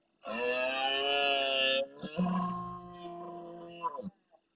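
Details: Red deer stag in the Doñana marshes of Huelva, Andalusia, bellowing intensely at dusk while answering other stags. One loud, sustained, raspy roar drops after almost two seconds into a lower, groaning continuation, with insect trilling behind.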